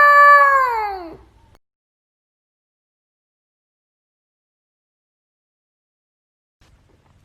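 A husky puppy gives one short, high howl that slides downward and fades after about a second.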